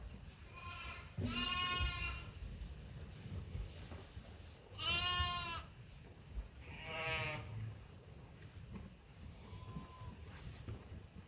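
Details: Hungry sheep and lambs on Ewetopia Farms at feeding time, three strong quavering bleats spaced a few seconds apart, then a faint distant one, with low rumbling in the background.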